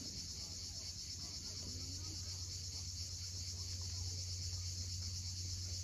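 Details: Sunset cicada chorus at Cape Fiolent, Crimea: a steady, shimmering high buzz without pause, set against a heavy low hum of sea waves and one faint short rising note early on.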